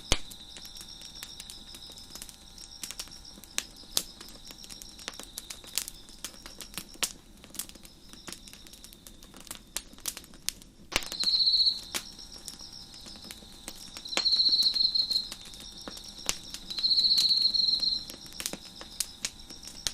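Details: Crickets chirping behind a crackling fire on a deck: a steady high ringing drone with a second fainter band above it, and three louder buzzy trills of about a second each, all cut through by sharp, irregular pops and snaps of burning wood.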